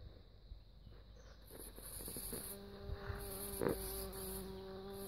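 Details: Bumblebee buzzing: a steady, low droning hum with even overtones sets in about halfway through and holds to the end, over a rustling background with intermittent high-pitched hissing bands.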